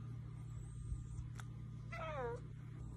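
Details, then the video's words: Cooter, a pet cat known as the talking kitty, gives one short meow that slides downward in pitch with clear layered harmonics, over a steady low indoor hum, with a person talking nearby. "Cooter the talking kitty"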